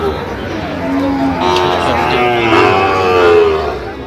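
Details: Sahiwal bull calves offered for sale to a Dhaka farmer on 3 October 2025: a drawn-out, low, tonal moo that rises slightly and then falls, heard over men bargaining over the price, with light background chatter.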